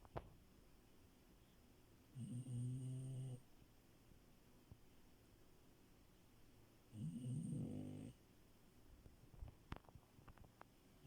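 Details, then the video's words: Sleeping French Bulldog Milo, a puppy, snoring in bed: two low buzzy snores about five seconds apart, each just over a second long, with hushed breathing between. "Frenchie love and her snores"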